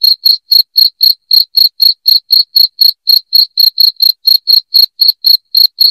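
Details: Continuous bright cricket chirping, evenly spaced piercing pulses near four a second, clean with nothing else audible.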